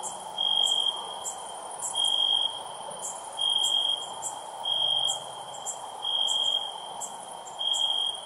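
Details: Crickets calling at night, a sustained high ringing trill broken into six half-second bursts that recur about every second and a half, with brief bright ticks higher up and low steady background noise.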